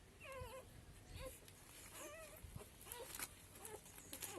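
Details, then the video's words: Street-dog puppies crying for their mother: a series of high, arched, whining yelps, each rising then falling, given in short bursts about every half second to second, with faint background rustling. "తల్లి కోసం కుక్కపిల్లల ఏడుపు"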